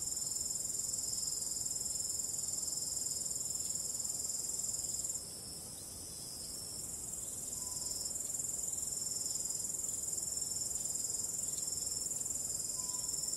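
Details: Crickets on a starry night, a dense continuous high shrill trill pulsing steadily, briefly softer near the middle before swelling back; calm wind adds a soft low rush underneath.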